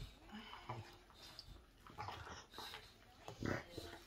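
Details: Bone-chewing English Bulldog gives off uneven snuffling grunts and moist crunching clicks, ending in a louder snort-like burst.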